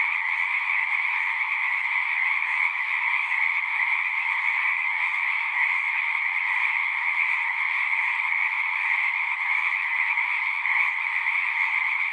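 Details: At a pond in a horse pasture, a massed frog chorus recorded on a Zoom 6 keeps up an even, high-pitched pulsing trill, dense and unchanging, no other sounds standing out.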